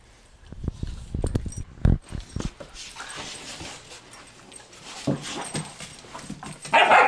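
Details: German Shorthaired Pointers Badger and Piper scrapping playfully indoors: a run of short pulsed growls in the first two seconds, quieter scuffling, then a sharp louder yelp-like bark at the end.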